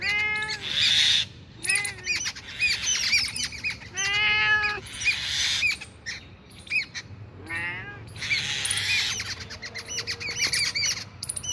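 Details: Cat found two kilometres from home gives high, thin meows, each an arching cry under a second long, four in all spaced a few seconds apart, with crackling and rustling noise between and behind them.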